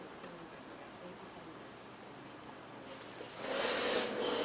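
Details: Quiet indoor room tone with a soft burst of hiss toward the end, and no animal voice.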